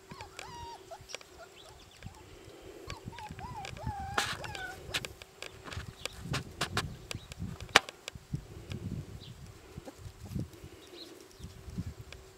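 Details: Four-week-old Siberian Husky puppies from a litter, heard giving wavering high whimpers and squeaks in the first few seconds, followed by clattering knocks and rustling movement with a steady background hum.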